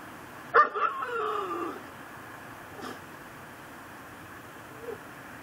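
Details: A tethered Pit Bull, tied to a post in a yard at midnight in late December and reportedly barking around the clock, gives one sharp bark that stretches into a brief wavering whine, then falls quiet.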